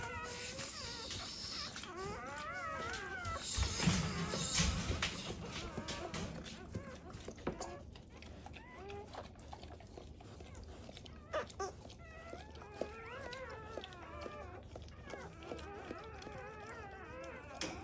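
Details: Black Labrador Retriever puppies just born in their mother's first litter, needing revival. Overlapping squeaky, quavering cries rise and fall through the clip, with knocks and handling noises and a louder rustle early on.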